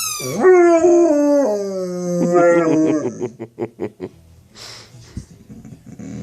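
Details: A pet dog named Yawk reacting to the sound of his football: one long howl stepping down in pitch, then breaking into rapid pulsed whimpering yips that fade, followed by faint rustling.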